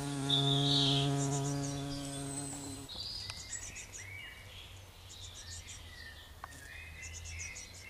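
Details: Heath bumblebee queen working Lamium orvala flowers for nectar at a bumblebee sanctuary. Loud low buzzing for three seconds fades out, leaving scattered high bird chirps and a soft background rumble.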